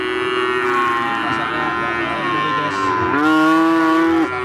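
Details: Java cattle at the Siyono animal market, Gunung Kidul, Yogyakarta, Indonesia, a market open from 6 in the morning to 1 in the afternoon; a long rich moo swells loudly near the end over background chatter.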